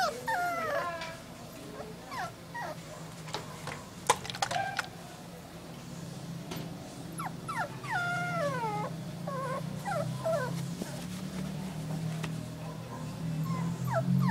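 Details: Whining terrier cross puppy from Malaysia, which later died of a virus infection: irregular bursts of sliding, falling whimpers and yips with quiet gaps between, a few sharp clicks and a low background hum.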